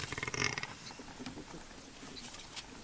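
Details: In Masai Mara, a hyena in a pack of about eight hunting a Cape buffalo calf gives a brief, harsh, pulsing call, which the observer takes to mean things are getting serious and more are coming.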